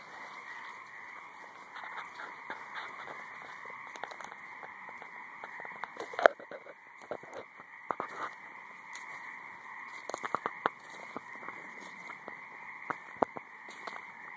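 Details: High marsh frogs in full chorus: a steady buzzing hum runs beneath irregular snapping clicks and brief croaks, louder bursts around the middle and near the end.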